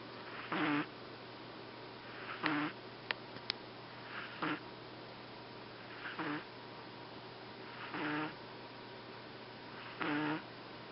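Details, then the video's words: Sleeping Boston Terrier Fuku-chan on the day after arrival, giving six raspy snores at roughly two-second intervals, each a short vibrating rush with a droning low tone, over a quiet background hum and a couple of tiny clicks. "Boston terrier フクちゃん、いびきをかく。"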